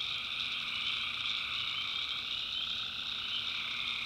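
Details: Tree frogs calling at night in the backwoods of North Carolina, a dense continuous chorus of high, overlapping trilling calls forming steady bands with no pauses.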